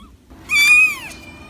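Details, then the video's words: One clear cat meow lasting about half a second, rising slightly then sliding down, bright and harmonic against near silence. "Vidio kucing mengeong lucu"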